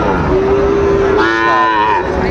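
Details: At Dinajpur's Raniganj market on 22 January 2026, where Sahiwal bull calves are traded, a single long moo holds steady, then jumps higher halfway and fades, with market voices murmuring behind.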